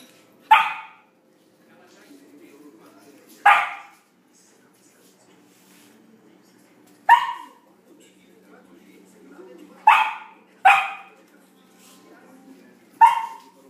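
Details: Samoyed puppy playing with its first big ball, giving six sharp, single barks spaced a few seconds apart, with a brief pair close together near the end; faint background sounds between barks.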